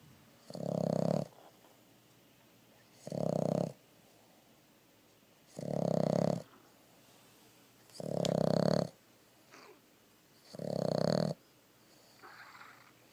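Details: A female Boston terrier pug mix sleeping with her eyes open snores in loud, rough breaths roughly every two and a half seconds.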